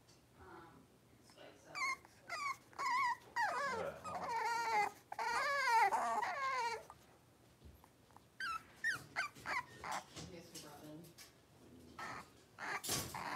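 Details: Blenheim Cavalier King Charles Spaniel puppies, a litter of five, playing and wrestling in an indoor puppy pen. Clusters of high, wavering whimpers and yelps, denser in the first half, then scattered short yips and rustling.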